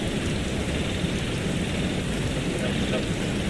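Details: Heavy steady rain and low rumbling thunder in northeastern Thailand fill the clip with dense hiss, and no frog calls are heard.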